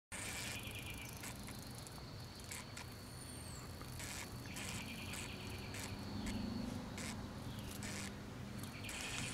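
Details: Cicadas newly emerged near Manassas, Virginia, make a steady high whining drone with pulsing bursts, over rumbling low background noise and a brief bird chirp.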